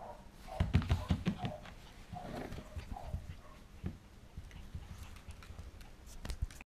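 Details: Pembroke Welsh Corgi puppy playing with a person's hand, recorded November 8, 2014: short low rumbling growls in bursts, mixed with brief higher whiny tones, scuffling and rustling clicks from handling throughout.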